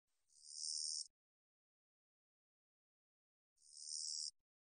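A long-winged katydid gives two dry, high-pitched buzzes, each about a second long, separated by silence.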